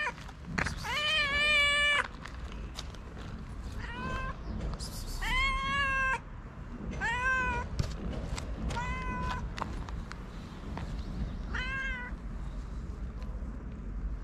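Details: Hungry stray cats in Morocco, two animals living on the street, meowing again and again: about eight bright, rising meows spread over fourteen seconds, with clicks and a low background rumble.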